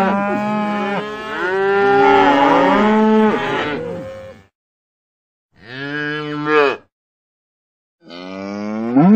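A cow gives long, loud, harmonic moos that waver in pitch, then two shorter calls.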